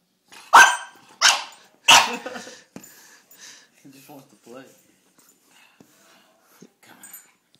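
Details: Three quick loud barks from Cedric, a bulldog playing a little rough, come in the first two seconds, then fade into softer grumbling sounds and faint voices.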